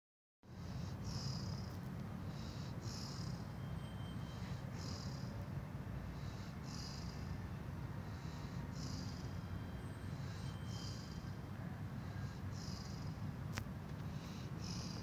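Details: Golden Retriever dozing peacefully in a garden, snoring with soft, airy, rhythmic breaths roughly every second and a half over a constant low rumbling background hum.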